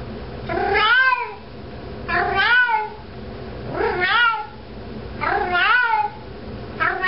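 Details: Domestic cat walking around holding a sock, calling insistently: five strong, bending meows in quick succession, roughly every one and a half seconds, each rising then dropping, in a small room.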